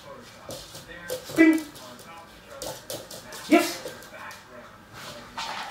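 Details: Weimaraner puppy during a basic obedience training session gives two short, high yips about two seconds apart, with a trainer talking quietly in between.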